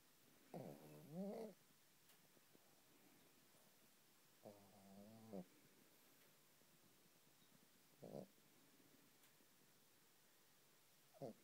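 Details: Shih Tzu giving soft, quiet growling grumbles indoors: two drawn-out wavering rumbles of about a second each, then two brief short grunts, with near silence in between.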